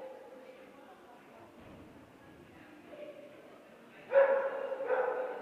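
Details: Two-year-old Bearded Collie Micki competing in her third A1 agility tournament; quiet background for four seconds, then two sharp, ringing barks close together near the end.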